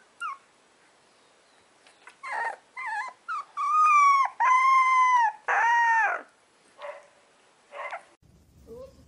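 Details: Young puppies howling: short yelps lead into drawn-out, wavering tones that rise then sag in pitch, the longest near the middle, followed by softer whines and quiet gaps between calls.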